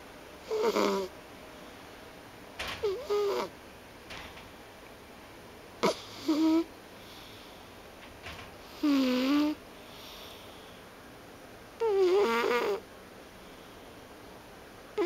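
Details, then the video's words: Pet cat named Dongdong snoring in its sleep indoors; drawn-out raspy breaths recur about every three seconds, some with a wavering whistled tone, separated by quiet pauses. "我的東東貓 睡到打呼啦!!"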